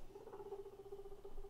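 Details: A round, winter-coated pet guinea pig gives a low, steady, faintly pulsing purr-like call lasting over a second during weigh-ins as it grows cold; guinea pig.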